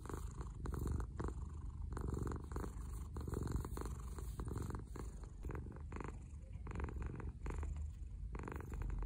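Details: Dahuang, a ginger pet cat, purrs continuously as it lies on its owner at morning, a deep pulsing rumble with brief breathy gaps, in a quiet room.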